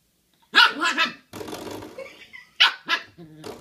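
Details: Ten-week-old Shiba Inu puppy at play with a doorstop: two bursts of high, yappy barking, each a quick double yap, separated by a stretch of rattling and scraping noise.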